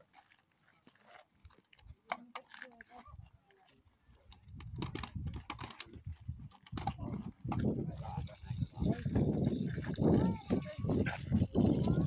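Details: Polar bears at a wildlife park growl and roar in deep, rumbling bursts while competing over a piece of meat.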